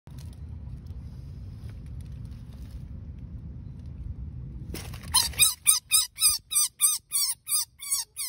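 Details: Baby rabbit screaming while being saved: quiet low rumble at first, then a sudden run of sharp, high, harmonic squeals in the last three seconds, about three per second, each bending downward.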